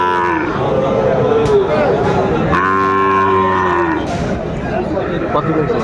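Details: Low, steady lowing from Sahiwal bull calves at the opening of trading at Aftabganj market, Dinajpur, on 1 July 2025. One long moo of about a second and a half stands out over market hubbub and bargaining voices.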